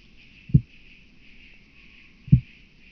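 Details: Southern Oak Bush-cricket recorded at Starnberg, Germany, on 7 August 2023: two short, dull low thumps about 1.8 seconds apart over a faint steady hum.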